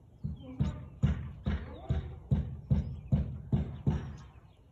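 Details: Husky barking on 13 March 2021 at 4:17 pm: a steady run of about ten short, deep, punchy barks spaced roughly half a second apart, with a quiet background.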